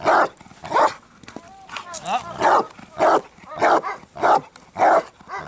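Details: During build-up work toward strong barks, the Bandog Achilles, 4.5 years old, gives powerful rhythmic barks about every half second, with a short spoken word midway; training session of August 2014.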